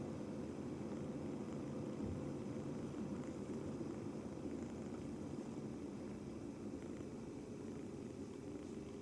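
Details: Two-month-old male British Shorthair kitten on its first day in a new home, purring continuously while kneading; a steady low rumbling purr with no pauses, and a faint background hum.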